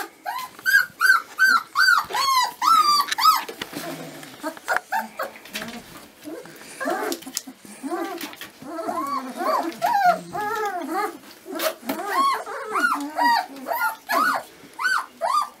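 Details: Dobermann puppies at 25 days old crying in a steady series of arched squeals and yelps, loud at the start, briefly mixed with rustling and clicks, then returning to regular whining.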